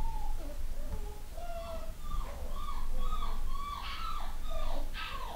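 Newborn Long-haired Miniature Dachshund puppies give thin, squeaky whimpers that rise and fall, over a low background rumble.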